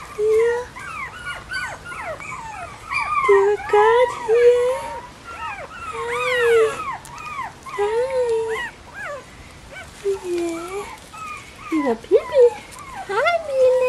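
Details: Bichon Frisé puppies from the O and P litters at a small kennel in Vejle, Denmark, whining almost nonstop: many overlapping high, wavering squeals and yelps that bend up and down, with no break in the chorus.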